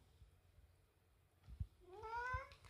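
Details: Pet cat Latte scolding at home after being pestered for food in reverse of its usual demands; quiet room sounds and soft thumps, then one rising, drawn-out meow with rich harmonics near the end.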